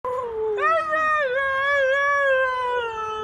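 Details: Siberian Husky howling in a talking style: a sustained, harmonic-rich, wavering vocal tone lasting about three seconds, sliding up in pitch and then holding with slight bends, clear and loud.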